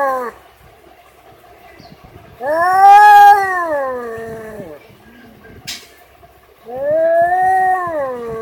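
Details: Cat meowing in two long, wavering calls that bend up and then down in pitch, roughly two seconds each, with a brief click and quiet background between them.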